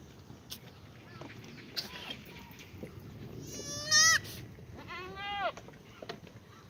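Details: Two quavering black goat bleats, the first higher and shakier, the second falling, sound in a goat exercise yard at a farm in Gimhae, South Korea, on a sunny Tuesday morning, 2 April 2019, with soft farm noise between.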